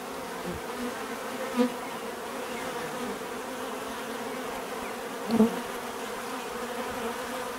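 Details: Droning hum of many bees, with two single bees flying close by, each giving a short, louder buzz that swells and fades within a second.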